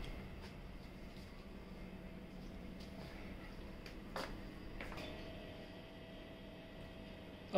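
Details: Quiet indoor room tone with a few faint clicks and knocks and some muffled low background sound.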